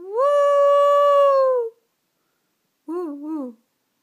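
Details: Dog howling: a long sustained tonal note held steady for about one and a half seconds, then falling away, followed after a pause by a shorter wavering howl that dips twice before trailing off.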